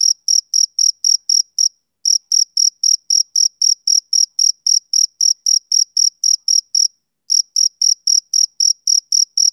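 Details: Male cricket chirping on a summer evening: clean, high, evenly spaced chirps about four per second, broken by two brief pauses near the second and seventh seconds, with no other sounds.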